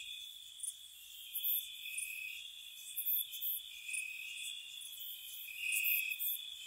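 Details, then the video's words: Night chorus of gentle crickets in spring by a cottage, an unbroken high trill with a few brighter shrill pulses breaking through at irregular moments. "Cricket Sounds"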